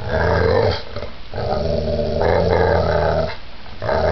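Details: Giant pit bull in a violent attack, giving a continuous low, throaty growl that swells and dips, broken only by brief breaths.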